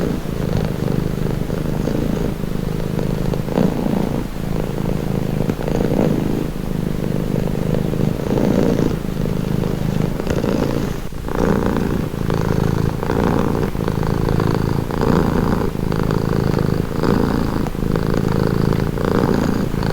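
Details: Cat purring continuously over twenty seconds in a calming recording: a deep buzzing rumble, smooth at first, then settling into clearly pulsed breath-by-breath cycles in the second half, with faint higher rasping overtones.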